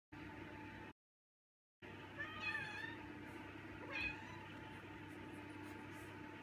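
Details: Hungry male house cat vocal before dinner: two short, faint, wavering meows over a steady low indoor hum, with a brief silent gap near the start.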